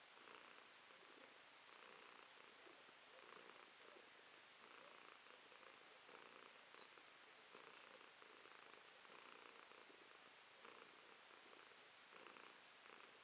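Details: Romashka, a pet cat, purring on a July 2023 morning while holding up one paw; an even, continuous breathy rumble with faint rhythmic swells and no other sounds.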